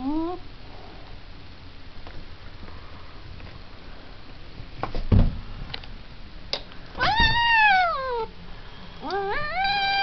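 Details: A big-headed house cat gives a short cry, then after some quiet shuffling and thumps utters two loud arching yowls that rise sharply and slide down, the last ending the recording.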